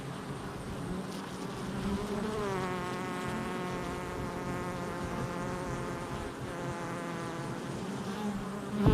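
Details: Buzzing honey bee activity at the hive entrance, recorded July 22nd, 2024. A continuous low drone carries a clearer, higher-pitched whine from a nearby flying bee through the middle, fading out before the end.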